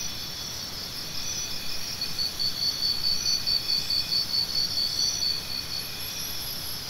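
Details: A dense chorus of crickets keeps up a continuous high shrill, while one louder caller adds quick evenly spaced chirps in a run of several seconds; light background noise underneath.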